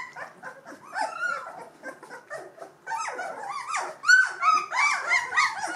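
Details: Two-week-old Gordon Setter pups from the E litter fussing: soft scattered whimpers and grunts build into louder overlapping squeals, including a few thin sustained whistle-like whines toward the end.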